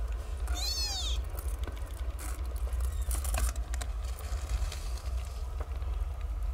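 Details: A single short, high-pitched kitten meow, rising and falling, from a newborn litter of nine stray kittens nursing on their mother, followed by rustling and low steady background rumble.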